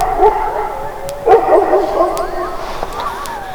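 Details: A farm guard dog named Toby gives a run of hoarse, mid-pitched barks at night, driving off coyotes that call faintly nearby; he began barking minutes before, apparently sensing them coming.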